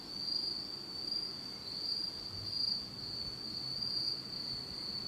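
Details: In total darkness on a fall night in Japan, insects keep up a continuous high trill that swells and fades gently in volume, over soft low background rumble.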